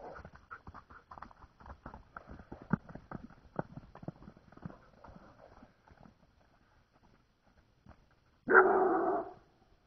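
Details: Giant Schnauzer puppy named Boggie chasing horses. Rapid patter of running steps and hooves fills the first half, fading to quiet, then a single short, loud bark bursts out near the end.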